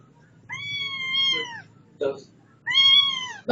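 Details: Setty the house cat meows twice in long, drawn-out wails, each about a second, with a brief scuffing noise between them and soft low background sounds.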